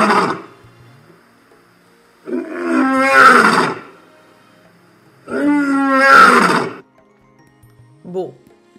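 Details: Lion roaring: two long, rough, drawn-out roars about three seconds apart, each swelling then fading, with a brief softer call at the end.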